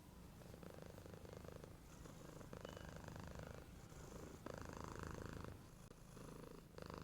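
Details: Domestic cat snoring indoors: a steady low, rattling rumble with rhythmic pulsing, swelling into louder raspy breaths around every two seconds, with no other sounds.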